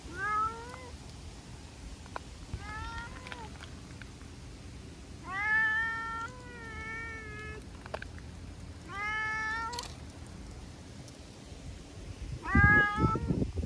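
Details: Sociable brown tabby-and-white stray cat answering petting with rubbing, licking and talk: a run of six or so bright, bending meows, some doubled, followed by a burst of rustling handling noise.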